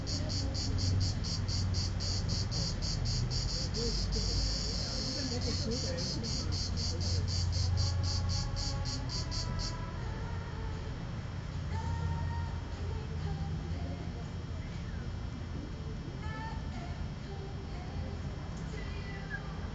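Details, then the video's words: Late-season cicada at Vello, Brescia province, 4 September 2010 at 16:04, recorded by Nokia N73 phone: rapid shrill pulsing for about ten seconds, then it stops, leaving low rumble and faint tonal sounds. "ultima cicala 2010 vello"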